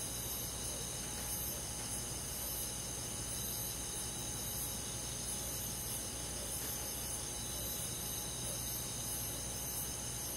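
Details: A continuous high cricket chorus fills a summer night in the woods, shrill bands of trilling with slow swells, a low mechanical-sounding hum beneath throughout.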